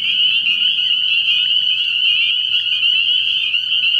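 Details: Spring peeper chorus at a frog pond after dark in the early year: countless piercing high peeps layered into an even, unbroken trill-like drone with a faint low hum beneath.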